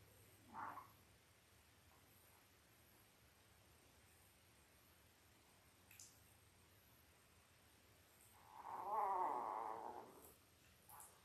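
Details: Five-day-old Labrador Retriever puppies, a litter of five males and three females born October 15, 2023 to mother Belle, on a live puppy cam; one brief squeak early, then a drawn-out, wavering whine near the end over faint steady hum.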